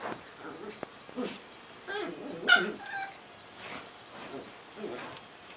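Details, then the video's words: Playing Prague ratter making soft, thin whines and small yips spaced about a second apart, with one brighter squeak midway, while a person speaks softly nearby. "Prazsly Krysarik playing and making noises"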